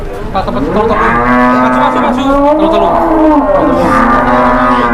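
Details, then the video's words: Startled, raging cattle on a first trip to the market; one long, loud, strained moo with rich harmonics, swelling and bending in pitch over several seconds, with people talking around it. "SAPI BARU PERTAMA KE PASAR DI KAGETIN NGAMUK"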